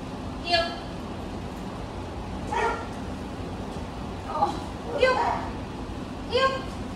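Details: Great Dane named Leona, a dog with fear-based behaviours in training: short harmonic barks or yelps, five of them spaced one to two seconds apart, over a steady low background hum.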